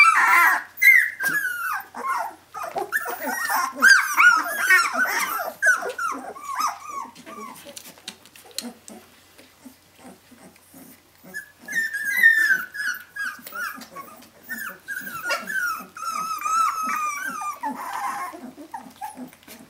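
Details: A litter of 17-day-old puppies calling for their absent mother indoors: overlapping squeaky whimpers and thin yelps in busy bursts, a quieter stretch midway with soft scattered squeaks, then the high whining chorus returns.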